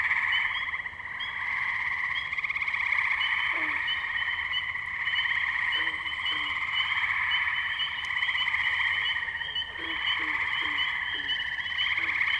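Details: Tree frogs at the wetlands of Firestone Park, Columbiana, Ohio, recorded May 6, 2023 on a Zoom H2n: a dense, unbroken chorus of high trilling calls in steady layered bands, with a few short lower notes cutting through now and then.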